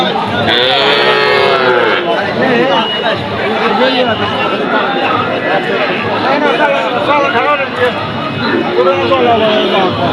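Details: Cattle in a crowded market in Bogura, with one brief moo at the beginning and another near the end, mostly buried under dense human chatter and bargaining voices.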